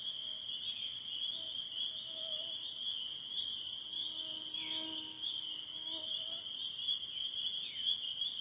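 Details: Northern Michigan spring peepers calling in their final days of the spring season, a constant high-pitched peeping chorus, with several birds adding whistled notes and quick high chirps over it.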